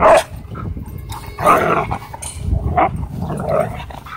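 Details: German Shorthaired Pointer, Huskies and a wolf dog wrestling in a dog park: throaty play growls and short gruff barks in bursts, with rumbling low scuffling between them.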